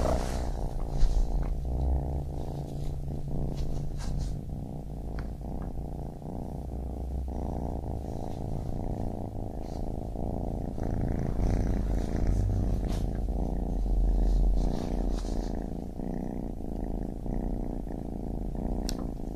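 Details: Kitten purring steadily as a low, rumbling drone, with scattered soft clicks and a faint deeper hum beneath.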